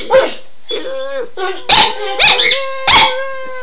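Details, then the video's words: Two pet dogs react to the phrase "Run Guy run" with howls; short rising and falling howl notes mixed with a few loud barks, fairly close and clear. "Howling Dogs II"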